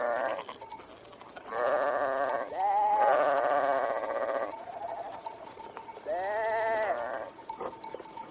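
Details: Sheep bleating in drawn-out, wavering baas, two long calls and a shorter third, over a steady noisy background with faint ringing tones.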